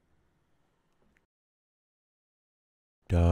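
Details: Near silence with faint low murmurs, then a loud voiced burst of harmonic speech-like sound in the final moments; no animal voice evident.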